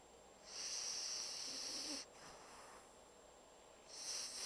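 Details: Deeply sleeping Pocket Bulldog Bumble, snoring like a big dog: one long hissing, wheezy breath lasting over a second, a quieter pause, then the next snore starting.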